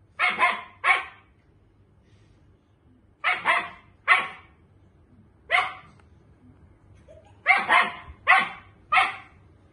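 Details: Dogs, a German Shepherd and a Miniature Pinscher, facing off; sharp, loud barks come in quick bursts of two or three with short pauses between, about ten barks in all over a quiet background.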